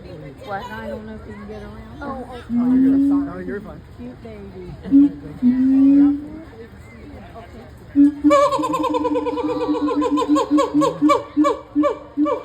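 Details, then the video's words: A gibbon at the Cincinnati Zoo gives sustained tonal notes over people talking. These build into a fast, regular series of rising whoops roughly twice a second. "Gibbon making sounds at the @cincinnatizoo"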